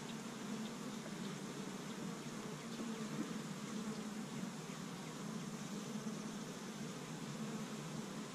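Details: Honey bees from an established hive in Michigan, busy on the first warm spring day while gathering pollen from tree buds; a steady low humming drone runs throughout, with soft scattered buzzes above a hissy background.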